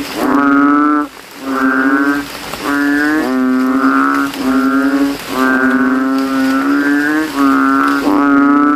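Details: After rain at night, kodok kintel, banded bullfrogs, swell their throats in a cemetery puddle and vie to out-call rivals. Loud, nasal, cow-like honks roughly once per second follow one another with only brief gaps.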